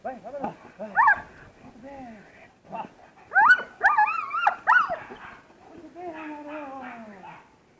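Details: German Shepherd during protection training giving sliding, whining yelps and sharp barks in uneven clusters, ending in a long falling whine, while people talk nearby.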